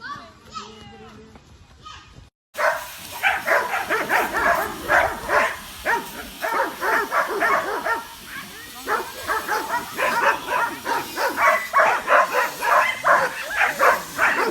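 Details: A group of curious dogs reacting to a flying drone overhead, some barking and running around; a short stretch of voices gives way to rapid, overlapping barks repeated several times a second, with human voices mixed in.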